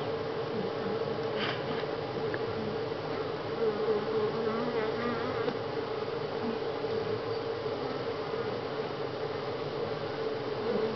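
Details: Honey bees at Grass Lake Sanctuary in July, week six: a dense, steady hum of many wings droning around a low pitch, with faint clicks scattered through it.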